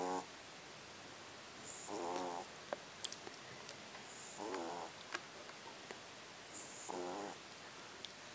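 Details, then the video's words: Sleeping French Bulldog puppy snoring: three soft, rattling, buzzy snores about two and a half seconds apart, with faint hissing breaths between them and a few small clicks, in a quiet indoor room. "French Bulldog Puppy Snoring"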